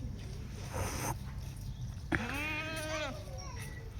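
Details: Young Holstein Friesian heifer calf, about a month old, at a Sangli dairy farm, lets out one rising-then-falling nasal moo of about a second after a sharp knock, amid people's voices around feeding time.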